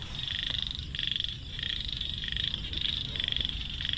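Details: Frogs caught as fish food; shrill, rattling trills in repeated bursts roughly every half second to second, several callers overlapping over a constant low background hum.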